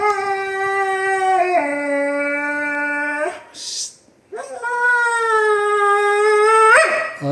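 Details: A Siberian Husky objecting to a pet fence gives two long sustained howls, each holding steady before sliding to a new pitch, separated by a short gap with a brief burst of noise.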